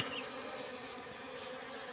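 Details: Wild Asian honey bee colony (Apis cerana) that settled in a trap box set three months earlier, heard up close: a steady, even, low hum of many bees under a faint hiss, with no other clear sounds.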